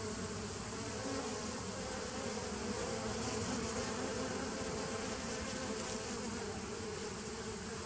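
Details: Honey bees of a nucleus colony started in 2017, recorded on 27 September 2018: a steady, dense droning hum with strong low tones and a faint higher hiss, unbroken throughout.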